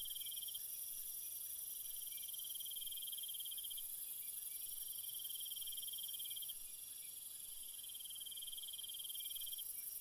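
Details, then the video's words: Nocturnal cricket chorus: shrill pulsed trills in several long runs separated by short breaks, a steady very high insect hiss, and a slight drop in level after six seconds. "Cricket Sounds"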